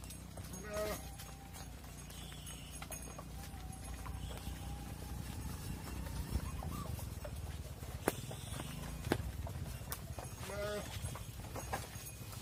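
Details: Cows heading into a barn as their calves wait outside: deep, steady lowing runs throughout, with short harmonic calls near the start and near the end, plus hoof knocks and thuds.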